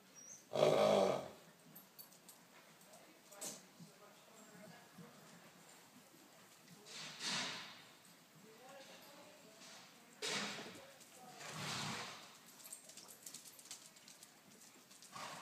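A horse makes wet, sputtering raspberry noises with its lips, in short bursts several seconds apart.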